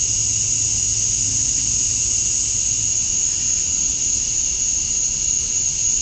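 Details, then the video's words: Cicadas at dusk on a summer night in Georgia, USA, with males calling to draw females: a steady, piercing, high buzz held without breaks, plus a quieter mid-pitched band and a dim low hum. "Cicadas at Dusk, Summer Night"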